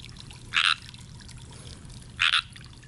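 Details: Tree frog croaking from hiding in a pond: two short, raspy, buzzing trills about a second and a half apart, each lasting a fraction of a second, over a faint steady low hum.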